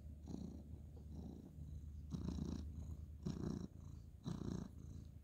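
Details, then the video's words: Ginger tabby male cat purring while being petted on a bed at bedtime, 2/11/2023; low rumbling purr swelling in breathy pulses about once per second, steady low hum underneath, quiet room. "cute ginger tabby cat petting purring"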